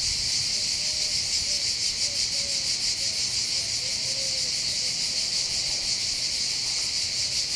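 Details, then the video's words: Cicadas in chorus on the heights of Bandol, by the Mediterranean in southern France: a constant shrill pulsing buzz, with a few faint short whistled notes, probably distant birds, in the first half. "accompagné par le champ des cigales"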